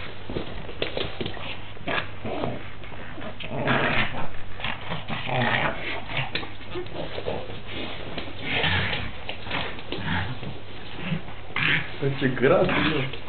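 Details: Pug fighting a horse doll: rough, snorting growls and grunts in dense, irregular bursts of low broadband sound throughout, louder near four, nine and twelve seconds, with some human voices mixed in.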